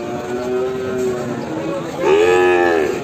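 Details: Limousin cross feeder cattle in the morning: after a faint steady tone, one loud harmonic moo rises then falls gently over about one second, with voices and background murmur throughout.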